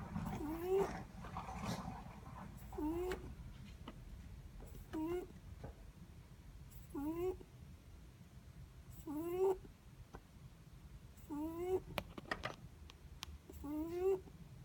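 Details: Netherland Dwarf rabbit snoring in its sleep: seven short squeaky, upward-sliding breaths about every two seconds, with a few soft clicks and rustles between them against a low hum.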